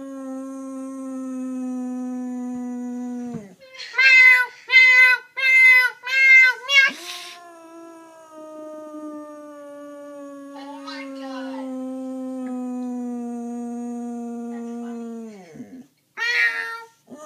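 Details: Dog reacting to meowing it hates: a sustained even howl breaks off as a rapid series of five meows plays, then the howl resumes long and steady, with later faint meows.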